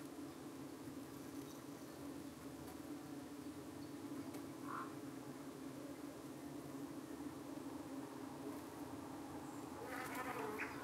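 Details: Honey bees at their hive in the UK on an evening, attacked by more than one type of parasitic fly; an even, dense buzzing hum throughout, with one short bird note midway and a burst of chirps near the end.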